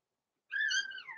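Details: Blenheim Cavalier King Charles Spaniel puppy, from a small litter born November 14, 2022, indoors in a home puppy pen near Christmas, gives one high, thin whine that slides gently downward and holds steady before fading.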